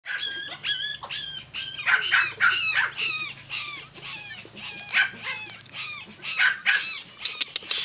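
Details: Miniature Pinscher, a very small red-and-tan dog, barking in sharp, high yips with rising-falling tones, several barks per second in irregular bursts, with a faint low hum underneath.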